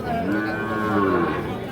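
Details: Young Sahiwal bull calves at Ambari cattle market, Dinajpur, 1/10/25: one sustained, low, even moo over crowd noise and talk.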